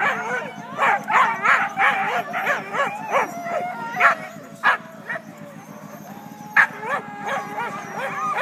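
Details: A team of Siberian huskies just before a sled race start, February 9, north of Weed, California, in Klamath National Forest; a noisy chorus of rising, wavering howls and sharp yips overlapping from many dogs, with short bursts repeating irregularly.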